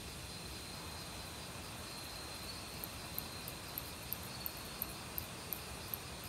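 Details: Autumn crickets in a forest, singing among various other insects, with the steady rush of valley stream water throughout; sharp high chirps repeat at about three per second, plus a faint continuous trill beneath the water noise.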